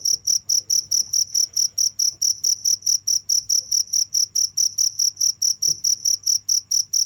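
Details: Continuous cricket call of rapid, high, ringing pulses repeated about four times per second, steady throughout, with faint low background hum and an occasional soft tap.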